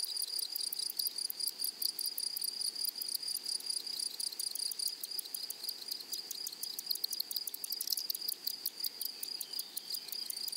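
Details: Flowery meadow grasshopper chorus, a continuous high-pitched, sizzling trill made of rapid pulses, with several insects overlapping and the intensity flickering throughout, no other sounds clear.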